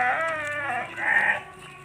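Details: An 11-month-old Texel Merino crossbred ram, a jumbo breeding sheep; a single wavering, nasal bleat with rich harmonics, strong at first, dipping, then swelling again before fading out.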